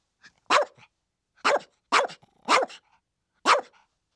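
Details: Chihuahua barks: five short, sharp yaps, the middle three bunched close together, each bright and high with a quick downward bend, quiet gaps between.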